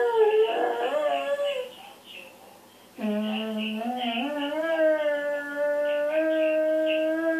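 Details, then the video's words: Male Dalmatian, a pet dog indoors, howling: a wavering, yodel-like opening and a brief pause, then a long, steady howl held for over four seconds and rising slightly in pitch, with rich harmonic overtones. "Talking dog dalmatian"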